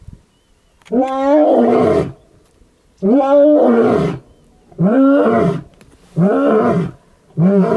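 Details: A male lion in the Maasai Mara roars in the morning near his mating brother, giving deep, harmonic bursts about a second long, repeated every couple of seconds.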